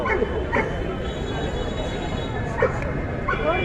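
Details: Dogs at a busy dog show: several sharp, short barks and yips break out at intervals, partly masked by close human speech and steady crowd noise.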